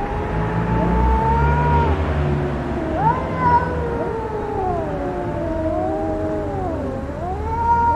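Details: Fighting cats trade long moaning yowls that glide and dip, several voices crossing one another, the pitch swooping upward around three seconds and again at the end, with a constant low droning hum beneath.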